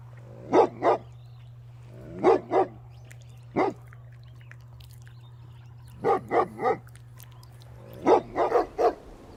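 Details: Mother dog and puppies at play outdoors give barks in clipped pairs and triplets, separated by pauses of one to two seconds, over a steady low hum.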